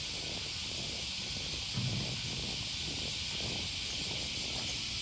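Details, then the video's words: Cicadas calling on an early-August morning along the Okawa River near Sakuranomiya Park, Osaka, Japan: a steady, dense, high-pitched shimmering drone that never breaks across the whole stretch, with a faint low rumble underneath. "Walking along the river, with the voice of a cicada"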